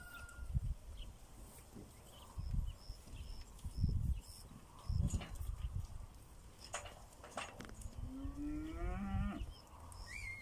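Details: Pinzgauer cattle in South Africa on a rainy morning, on their way to summer pasture. Low thudding steps, then one drawn-out moo that rises in pitch near the end. A faint, repeated high ticking sound is heard in the background.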